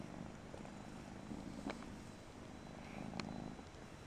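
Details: Persian kitten purring: a soft, continuous low rumble with faint pulsing texture, broken by a few light clicks and taps.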